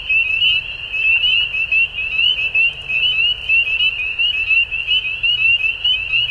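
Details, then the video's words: At dusk a crowd of frogs keeps up a bright, rattling high-pitched trill chorus, pulses tumbling over one another with steady rises and dips in volume and a quiet low background rumble. "Frogs At Dusk"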